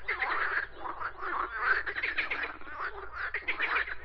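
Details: Dense chorus of frogs croaking, overlapping raspy rattles forming an almost unbroken wall of sound.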